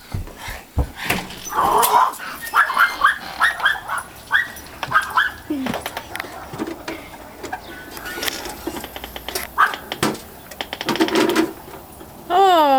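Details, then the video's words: Female pet Pomeranian indoors, barking madly because the mailman has come to deliver the mail. She jumps a baby gate and runs through the house. A quick run of sharp, repeated barks is followed by scattered yaps, with a woman talking over them. "My Mad Dog mad @ the mailman"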